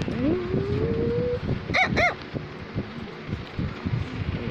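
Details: Cavalier King Charles Spaniel Samus wanting to tell its owner something: a thin whine rising slowly for over a second, then two quick harmonic barks, followed by low rumbling background noise.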